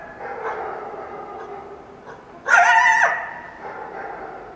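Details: Wild coyote at dawn after a full moon night, Washington Cascades foothills; faint wavering yips give way to one loud, sharp, quavering high yelp lasting about half a second, then softer calls resume.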